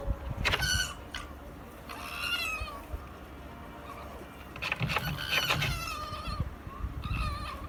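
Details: Japanese red fox in Tobu Zoo, recorded 5 January 2020 during night opening hours; a rarely vocal animal giving several bursts of shrill, wavering harmonic squeals in quick clusters, separated by short pauses, over a low rumble of background noise.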